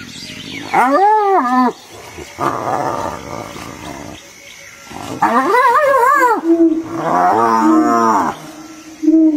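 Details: Hyenas fighting one another: loud, drawn-out moaning wails that arch up and then down, around one second and again near five to six seconds, broken up by harsh, noisy rasping bursts and short droning tones.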